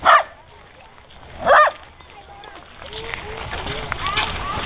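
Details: A Pembroke Welsh Corgi that loves to bark gives two sharp, loud barks greeting a friend at a dog park on 17 January 2011, with people chatting.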